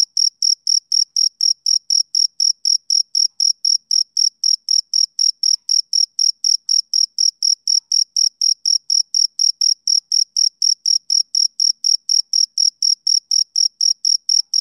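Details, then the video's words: Male cricket on a summer evening, chirping in a steady rhythm of about four short, high-pitched, ringing pulses each second, evenly spaced and unchanging throughout, against an otherwise silent background. "Cricket Chirping Sound Effect"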